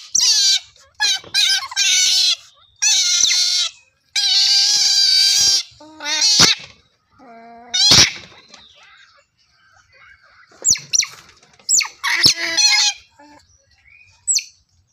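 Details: Squealing otter calls come in short bursts, some high-pitched and scratchy, a few with clear falling whistles, spaced by quiet gaps with scattered clicks toward the end.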